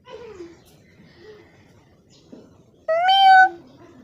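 A kitten gives one loud, high, slightly rising meow after a softer, faint earlier mew.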